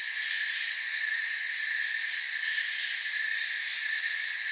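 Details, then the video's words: Crickets sounding in a forest, an even, buzzy, high-pitched trill spread across stacked bands, fast pulsing at the very top, level and continuous throughout. "Forest Sounds and Crickets"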